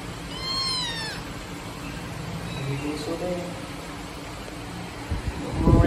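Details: Abandoned black kitten in a trash box on the street gives one clear, descending meow early on, followed by quiet street background and a burst of low rumbling noise at the end.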